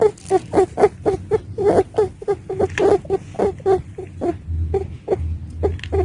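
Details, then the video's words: A female pet rabbit makes short, squeaky 'ii iii' noises in a quick, uneven series of about twenty brief pulses over six seconds. A low steady hum runs underneath. "Sonido de Conejo (Rabbit Sound Effect)"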